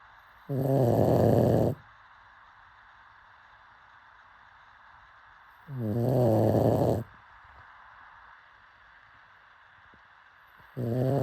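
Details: Slumbering pug snores steadily, three raspy, low rattling breaths roughly every five seconds, each about a second long, with faint background hiss in between.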